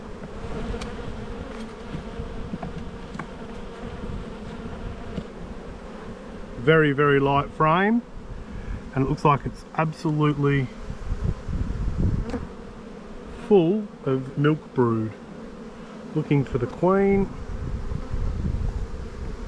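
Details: Honey bees humming in a bee yard during a spring buildup hive inspection, dated 7-9-22; a steady low drone runs throughout while a man talks in bursts through the middle section.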